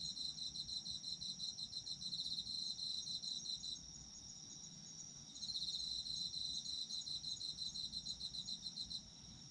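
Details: Autumn insect chorus for sleep: rapid pulsed high chirping trains lasting several seconds, pausing briefly, then resuming, layered over a continuous thin high trill and soft low rumble.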